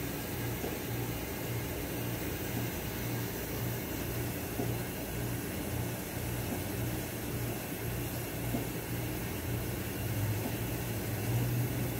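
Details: Steady broadband hiss with a low mechanical hum, like a fan or engine, running throughout with no animal sound heard.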